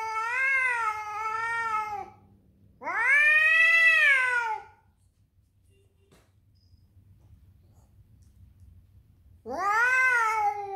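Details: Angry tomcat Doby yowls while defending his territory against other cats: three loud, wavering, strongly harmonic wails, the second swelling upward in pitch, with a long silent gap before the last.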